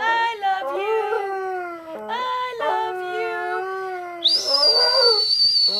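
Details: Rex, a pet dog, howls in long wavering tones broken into short sliding phrases, with a thin, very high steady tone joining near the end.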